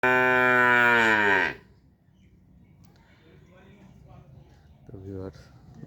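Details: Calf calling for its mother: one loud, drawn-out moo of about a second and a half with rich harmonics, followed by quiet, then a brief second moo near the end.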